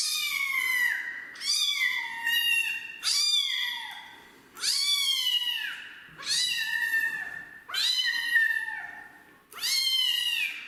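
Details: Kitten that does not want a bath, meowing loudly: seven drawn-out, strained meows, each about a second long with a rise then a slow fall in pitch, coming at a steady pace with brief gaps.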